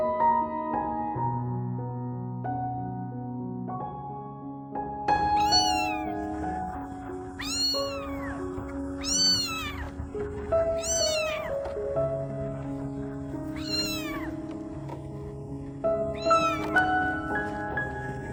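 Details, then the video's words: A lost stray kitten cries for her mother with a series of thin, falling meows repeated every second or two, set against steady gentle piano music. "A stray kitten lost in the dark, crying for her mother"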